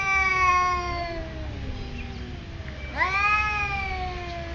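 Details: Two cats in a territorial standoff at a resort in Thailand: long, wavering yowls sliding slowly downward, then a sudden rising howl that levels off and drags on, over a steady low hum.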